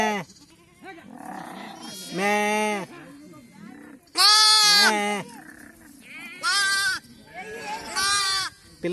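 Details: Mother sheep calling for her lamb during PPR vaccination of the flock: a run of five or six bleats, some loud and quavering, others softer and farther off, mixed with people's voices.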